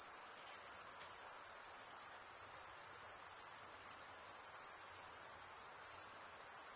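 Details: Stridulating crickets, males chirping by rubbing their wings, form a steady piercing high whine with a quick shimmering pulse, holding at one level from start to finish.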